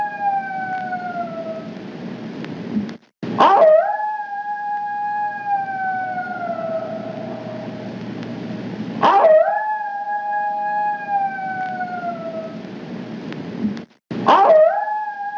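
A coyote gives long, wavering howls that start with a sharp upward yip, repeated about every five seconds.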